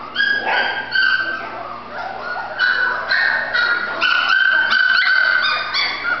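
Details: Female Golden Retriever puppy giving a run of high, thin yips and whining whimpers, short bursts repeated in quick, uneven succession with brief pauses between them.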